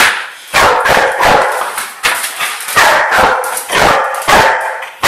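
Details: Excited barking from a twelve-month-old female Old English Sheepdog being chased. Rapid, rough, full-throated barks arrive in quick, uneven bursts about every half second, with breathy yips between them.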